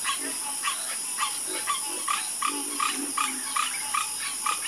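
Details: Chorus of frogs croaking: short bright calls repeated about every half second, with softer low croaks underneath and a steady high hiss throughout.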